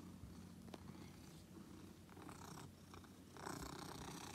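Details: Male domestic cat purring as he greets his owner coming home after a long day; a low, steady rumbling purr runs throughout, with a few soft rustling bursts above it.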